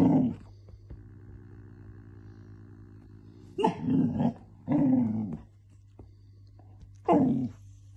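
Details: Golden Retriever puppy trying to get its grumpy cat sister to play, giving short low growls and grumbles in a small room; four brief rough bursts spaced irregularly over several seconds, with a steady low hum underneath.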